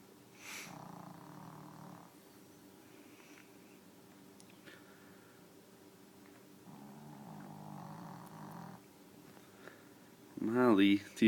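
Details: Sleeping deaf dog Susie snores in two long rasping breaths about six seconds apart, with a low hum throughout and a voice breaking in loudly at the end.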